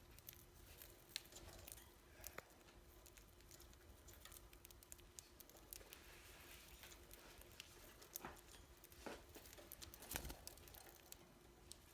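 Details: Soft pattering, crinkling and scattered clicks over a low steady hum, with no animal calls.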